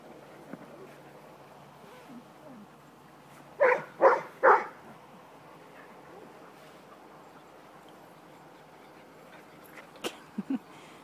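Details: Three quick puppy barks in rapid succession during play, set against a steady low background hum, with a few faint clicks and squeaks near the end.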